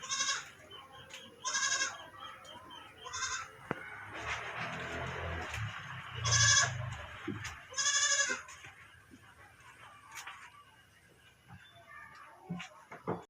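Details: Pet goats kept indoors and fed mulberry leaves, several loud harmonic bleats at about 1.5, 3, 6.5 and 8 seconds, with a low rumble and farmyard clatter between calls.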